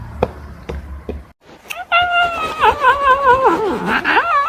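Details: A domestic cat from a funny cat compilation gives a long, drawn-out wavering meow lasting over two seconds, rising and falling in pitch and dipping low toward the end, after a few soft knocks and thuds.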